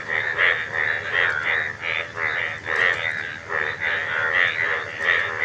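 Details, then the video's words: Frogs calling as a chorus, vocal sacs swelling out on both sides of the neck with each call; rough, rasping croaks in rhythmic bursts several times a second, rising and falling in loudness. "আশ্চর্য ব্যাঙ এর আওয়াজ"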